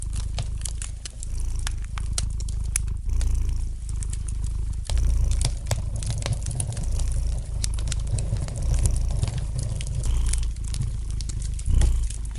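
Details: Domestic cat purring gently beside a fireplace, a steady low rumble swelling and fading with each breath roughly every two seconds, overlaid by sharp, scattered crackles and pops from the burning fire.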